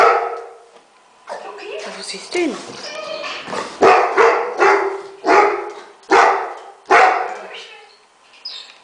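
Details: A male Labrador Retriever flipping out on seeing a dog on TV; a run of strong, fairly regular barks about every three-quarters of a second after a quieter start with voices.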